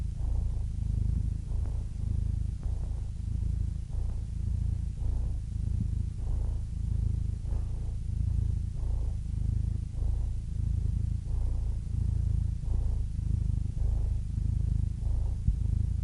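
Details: A cat purring steadily, a deep rumbling hum that swells and fades in a regular cycle about once a second as the animal breathes in and out.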